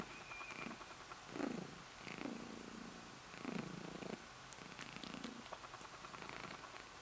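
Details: Female pet cat purring herself to sleep, a low buzzing purr swelling with each breath roughly every second, after a soft spoken voice.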